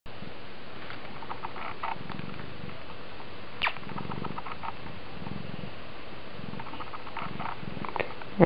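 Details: Oriental cat purring while scratching at a person's hand; low, rumbling purr pulses repeat about once a second, with quiet speech and faint scratching in the background.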